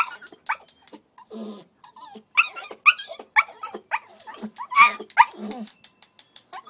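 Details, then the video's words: Puppy Coco-T, left outside after a toilet accident, whines and yelps in rapid uneven bursts, several sharp high squeals rising above a background of clicks and rustling. "Coco-T's cry"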